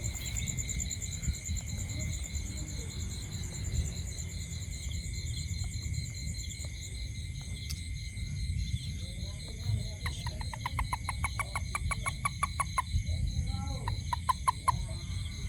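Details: Toad calling at night near a home: after ten seconds of quiet, a fast series of short, sharp clicking pulses runs for about three seconds, then a few more, over a steady high insect chorus and a low rumble.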